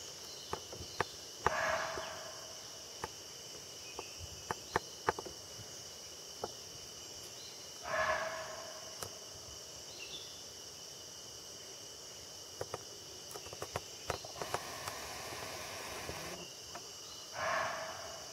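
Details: In Jim Corbett Park, India, a barking deer gives loud, hoarse single barks spaced several seconds apart, an alarm call at sensing a tiger.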